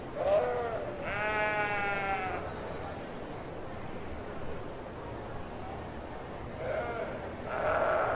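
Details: A sheep lets out one clear, quavering bleat of about a second, framed by softer, shorter bleats near the start and the end of the stretch.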